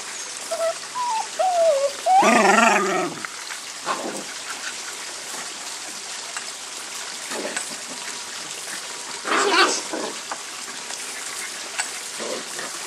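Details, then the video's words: Mother whippet "talking" to her puppies: thin, rising whines at the start lead into a longer, grumbling vocalization about a second long. Softer short sounds are scattered afterward, with another brief burst later, over a steady hiss. "Mommy Lacey "talking" to the whippet puppies"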